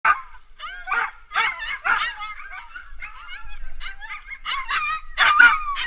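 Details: Yakutian Laika at the Staraya Krepost 2019 dryland race, a bikejoring event over 3.9 km runs: high, whiny yips and yelps in uneven bursts, some rising and falling, with short pauses between clusters.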